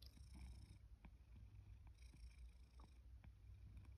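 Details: Sacchan, a male rescue cat born around spring 2019, purrs at home in Higashiomi, Shiga, Japan, in autumn 2023 after being called to breakfast; a steady low rumble continues throughout, with faint high hiss and occasional soft clicks.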